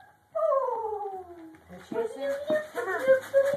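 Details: Several poodle puppies piled together; one gives a drawn-out whine that slides downward for about a second, then a person chatters to them over soft squeaks and rustling.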